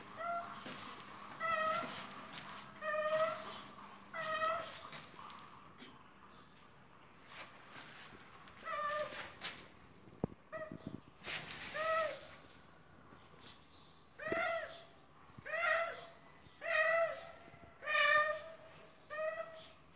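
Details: Cat that appears sick, making strange noises: a long series of short, bent meows repeated roughly every second or two, with brief clattering sounds in the middle.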